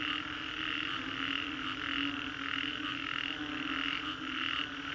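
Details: Many frogs call at once after a storm in Green Corridor, Singapore: a thick, continuous chorus of rasping croaks and high trills, layered voices swelling and ebbing without pause, no other clear sounds above them.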